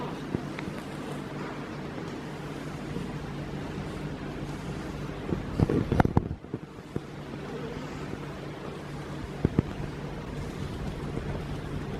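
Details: Low rumbling wind or engine noise fills the background, broken by a few brief clicks and knocks, with no animal sound heard.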